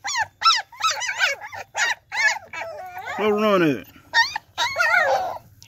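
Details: German Shepherd pups, Pretty Boy x Trouble litter of nine, crying in short high whines, with a lower drawn-out wavering voice in the middle and a couple more yelps closing the stretch.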